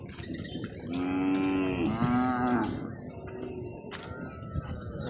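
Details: Cow at a cattle market: a drawn-out, low, even moo lasting over a second and a half, dipping slightly midway before fading, with faint voices and market bustle behind it.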